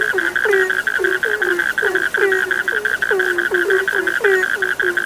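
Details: Night frog chorus of rapid, overlapping croaks, each dropping in pitch, set against a continuous pulsing high-pitched trill from many more frogs.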